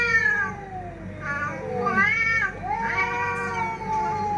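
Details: Fighting cats trading drawn-out, nasal yowls with rich harmonics, some sliding down and others bending upward, overlapping almost continuously across the clip.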